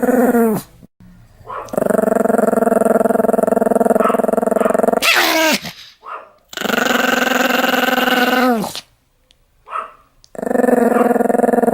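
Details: Pomeranian alternating long, throaty rattling growls with occasional sharp barks, the growls held several seconds each between brief silences.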